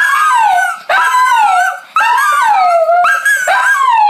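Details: A Shih Tzu, one of several dogs howling in response to a child practising the recorder, gives long, wavering, drooping howls about every second, with music playing.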